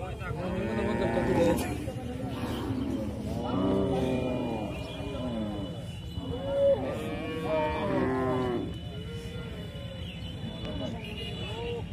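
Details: Cattle mooing repeatedly: a series of harmonic, wavering moos, each one to two seconds long, following one another closely across the whole stretch, with some overlapping callers and a low steady hum underneath.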